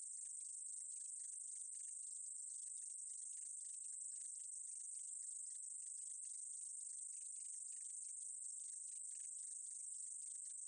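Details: From the 2020 National Institute of Biological Resources sound collection in Korea, a meadow katydid sings a steady, sizzling high-pitched buzz lasting the whole stretch, fine rapid ticking woven through, with no background sounds.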